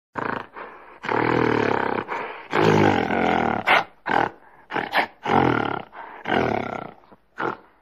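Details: A gorilla in tropical forest gives deep, harsh roaring bursts, each lasting a second or two, with short pauses between, communicating with companions and marking territory.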